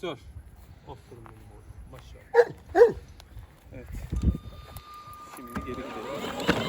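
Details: Kangal shepherd dog on a farm gives two loud, deep barks about half a second apart, while people talk in Turkish nearby and a faint steady tone hums in the background.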